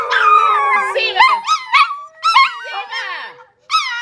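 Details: Siberian huskies playing at home, howling and yodelling in short rising-falling bursts with whimpering notes, voices overlapping, broken by brief pauses; a person speaks in the background.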